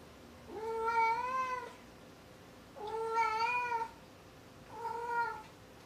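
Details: Maru the cat gives three drawn-out meows, each about a second long, at a clear mid pitch with rich harmonics, slightly rising then falling, spaced roughly two seconds apart in a quiet indoor room.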